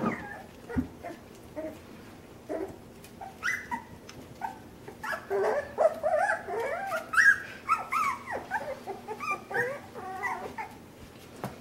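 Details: Puppies with more room to wiggle, exploring overhead obstacles and climbing objects, keep up a chorus of high whining whimpers and yips, with clicks and thumps of movement throughout.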